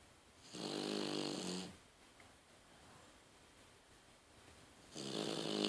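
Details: Daiwa, a sleeping female French Bulldog whose eyes stay open, gives a drawn-out rasping snore of over a second, then a quiet pause, then another snore begins; a low buzzing tone under breathy hiss, recorded indoors.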